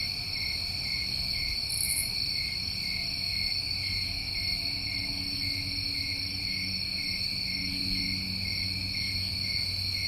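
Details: Unbroken summertime chorus of New England crickets: layered high, pulsing trills holding steady throughout, a short piercing chirp near two seconds, and a faint low hum in the background.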